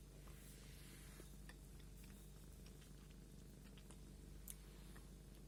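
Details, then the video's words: Cat being combed indoors, purring with a steady low droning throb, overlaid by light crackles and brushing noises from the comb strokes. "кошка чихает и мурчит"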